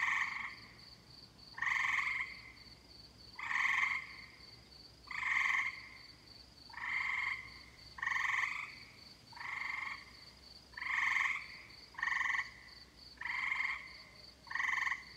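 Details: Tree frogs sounding in summer, a steady series of nasal, grating croaks roughly every second and a half across fifteen seconds, accompanied by a constant faint high pulsed trill.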